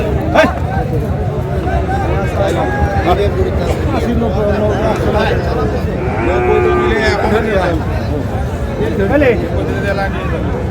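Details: Cattle at Ambari haat livestock market in Dinajpur, Bangladesh, where Friesian and crossbred bull calves are traded; a deep, drawn-out moo with rich harmonics rises midway through, over steady crowd chatter and bargaining voices.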